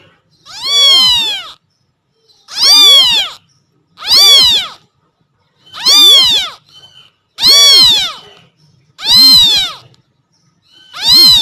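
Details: A kitten meowing for its mother cat cries in loud, high, rising-falling meows, repeated every second or two.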